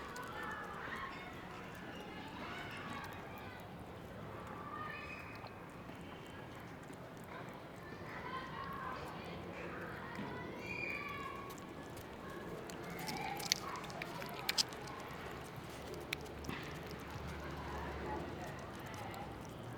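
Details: Homeless stray cat persistently meowing loudly and asking for food for herself and a friend, a series of harmonic meows repeated every second or two over outdoor street background noise, later soft clicks and knocks.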